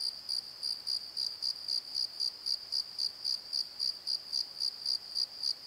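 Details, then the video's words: Crickets calling at night in a valley bottom, with frogs also heard: a steady high-pitched chirping pulsed about four times per second, evenly repeated throughout, over a quiet background. "Crickets and Croaks! Pozo Night Tree"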